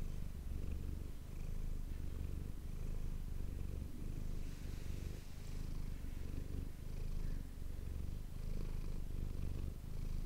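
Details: Domestic cat named Manis purring close to an ASMR microphone indoors: a continuous low rumbling buzz with steady pulsing texture, swelling and dipping with each breath, no other sounds.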